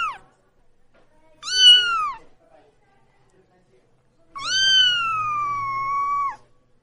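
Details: Very young tortoiseshell kitten crying alone while hiding, like a baby calling for its mother: a short falling cry followed after a pause by a long drawn-out wail of about two seconds, pitch holding steady then dropping at the end.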